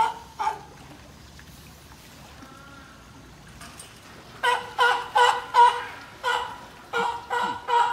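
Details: At a zoo in Nagoya, Japan, an older California sea lion and a female pup born in 2020 interact as if inviting each other to play in the water. Two isolated barks, a quiet stretch, then a rapid series of rough barks.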